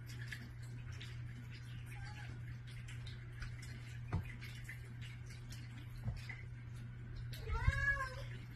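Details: Pet cat indoors in the morning, among cats that run to a bedroom door asking for food; one drawn-out meow near the end, arching up then down in a tonal, harmonic-rich tone, after sparse quiet clicks over a steady low hum.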